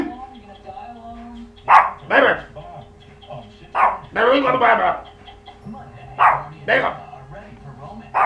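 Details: A dog indoors barks at weird noises, giving short, sharp barks in uneven bursts, some doubled, against a quiet indoor hum.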